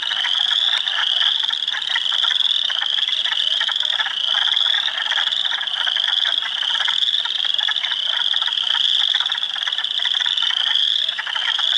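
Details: Swamp full of spring frogs at Heartland Forest, Ontario, April 2, 2022: spring peepers, wood frogs and eastern chorus frogs form a continuous, loud chorus of piercing high peeps over a grainy bed of rapid clacking trills.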